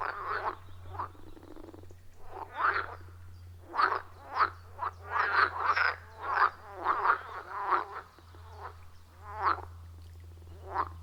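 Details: Dense frog chorus at a wild forest pond, recorded with an iPhone 14 Pro and Shure MV88+: many overlapping harsh croaks in uneven clusters, busiest in the middle, with short pauses and a steady low hum beneath.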